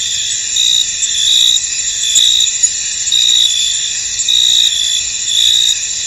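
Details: Crickets in a misty field keep up a shrill, continuous buzzing chorus. A clearer chirping voice pulses about once per second over the steady background trill.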